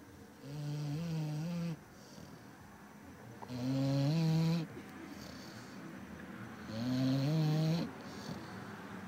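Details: A Labrador named Zuro snoring: three long, low rasping snores, each about a second or more, repeating roughly every three seconds with quiet breaths between, in a small indoor room.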